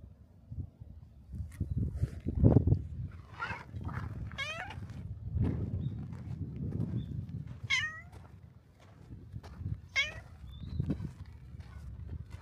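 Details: Stray black cat greeting at a shrine's torii gate: four or five brief falling meows, each a sliding harmonic cry, scattered over twelve seconds amid low thuds and rustling close to the ground.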